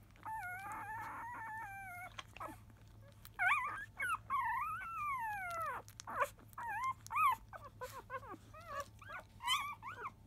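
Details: Five-day-old field-type Labrador Retriever puppy, born to the 2017 JFA grand champion biscuit, at a 10 a.m. nursing; a long, steady high whine opens, followed by a run of short rising-and-falling squeaky whimpers.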